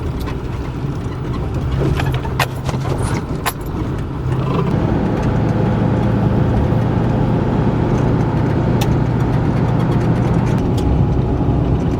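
A car engine idles and revs steadily with some clicking and handling noises, and no animal sound is heard.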